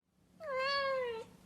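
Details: Persian cat, a breed often very quiet compared with the loud Siamese, giving a single soft, steady meow under a second long, level in pitch and fading slightly at the end, in a quiet room.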